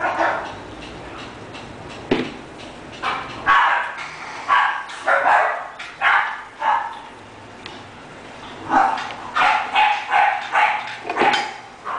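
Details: English bulldog offered for sale, barking in a series of roughly fifteen short, sharp barks. They come spaced through the middle and then bunch up rapidly near the end, over a faint steady background hiss.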